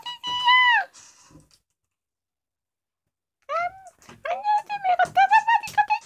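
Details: Ginger female housecat Kkomaengi, around two years old, recorded at home at night: one long meow, a pause, then a quick run of short chirping meows rising and falling in succession.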